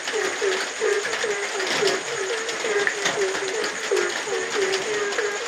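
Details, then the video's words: Rainy night with a frog giving brisk, low croaks, around fourteen in a burst-like series with a brief gap midway, accompanied by continuous rain hiss and patter. "suara hujan dan suara kodok di tengah heningnya malam"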